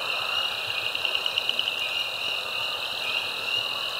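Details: Frog chorus at Caddo Lake National Wildlife Refuge, eastern Texas, USA, recorded March 10, 2024, with a binaural microphone; species include Spring Peeper, Cajun Chorus Frog, Southern Leopard Frog and Pickerel Frog. Dense continuous high trilling and peeping, with a quick pulsed run in the middle.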